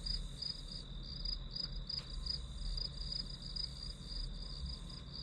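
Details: Grass insects as study background noise, chirping in high, bright pulses with brief irregular gaps, over a continuous thin ringing tone and a soft low hum.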